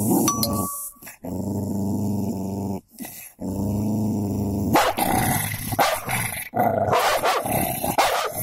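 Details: Fight between a golden labrador and a cocker spaniel: steady low growling in long stretches, then a noisier scuffle with snarls and snaps toward the end, a man's voice briefly heard.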